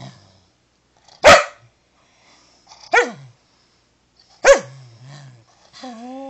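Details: Pet dachshund indoors during a short training session it is refusing, after lazing in a sunbeam and being told to speak: three sharp, separate barks about 1.5 seconds apart, each dropping in pitch, then a brief low whine.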